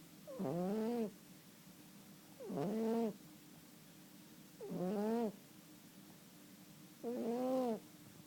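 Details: Sleeping domestic cat snoring: four evenly spaced, tonal, rising-then-falling nasal snores, each about half a second long, repeated roughly every two seconds in a quiet room.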